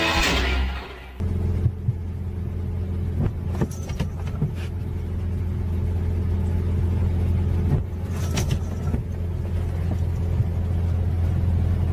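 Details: Steady engine hum with a low droning tone, an abrupt change after the first second, and occasional clunks.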